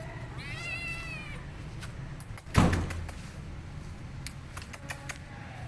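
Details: Burnt, wounded and starving stray kitten with singed fur and an injured mouth, found roaming for food: one drawn-out meow near the start, followed by a loud thump and scattered clicks over steady low background hum.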